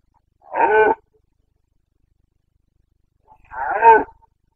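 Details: Carpathian red deer stag in the Bucovina mountains, Romania, during the breeding season rut on 29 September 2022, giving two short, harsh roars about three seconds apart, with silence between them.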